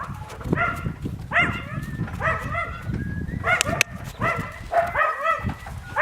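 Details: Yakutian Laika puppies giving repeated harmonic whining yelps, rising then falling, several overlapping in quick bursts over a rumbling, noisy background with clicks.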